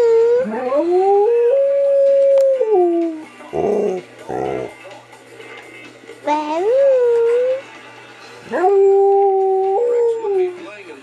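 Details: Pet dog made to howl by its owner, a female; long sustained tonal howls rising then sliding down, repeated in several phrases with short gaps, with a person's brief howl-like voice between them.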